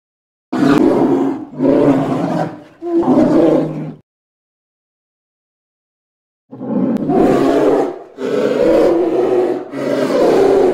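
A polar bear gives deep, rasping roars in two bursts of three, separated by a short silence.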